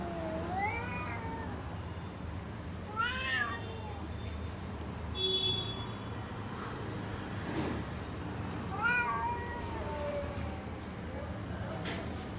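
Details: Cats outdoors in a garden, a lion-like cat, a tall one and a short one, meowing repeatedly: several drawn-out, wavering meows with rich harmonics roughly every few seconds, against a constant low rumble of traffic and a few thin bird chirps.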